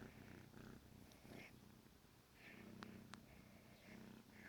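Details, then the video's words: Purring from Negi, a male kitten about 14 weeks old, waking his owner in the morning indoors; a soft continuous low rumble with faint rhythmic pulses and a few light clicks. "Cutest Wake Up Ever! Kitten Alarm Clock!"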